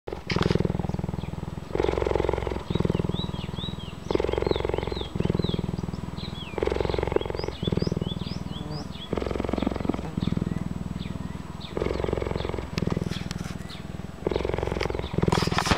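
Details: An old female cheetah (Acinonyx jubatus), rescued and living at a wildlife sanctuary and used to people, purrs loudly on seeing someone: a deep rumbling buzz pulsing in long stretches with brief breaks.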